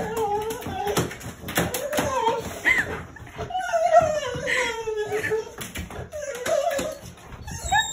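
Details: A young female Rottweiler in Nottinghamshire, UK, in May 2021, whines in long, wavering, sliding tones, excited to see her grandparents visiting, while people talk and exclaim nearby.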